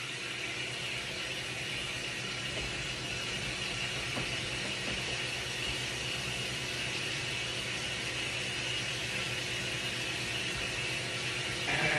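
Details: Only a steady broadband hiss is heard throughout, with no animal sound.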